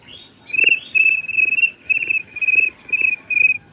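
A cricket gives a steady run of high, pure-toned chirps, about two each second.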